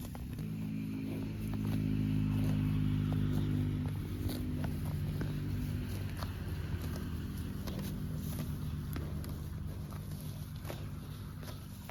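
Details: A steady low engine-like rumble with scattered clicks and scrapes, with no animal call standing out.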